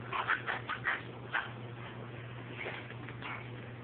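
A Miniature Schnauzer gives a quick run of short, high yapping barks to demand attention.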